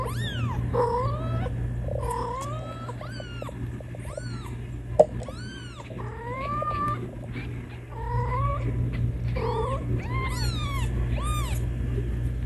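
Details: Kittens meowing loudly to call their mother: a rapid run of high, arched mews, many rising then falling, repeated several times a second with short gaps, over a steady low hum.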